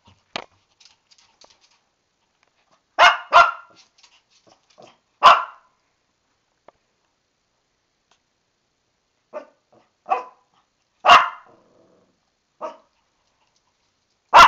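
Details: Shih Tzu named Lani protesting an upcoming bath from inside the tub, giving scattered barks, some in quick pairs, with quieter yips and small noises in the gaps.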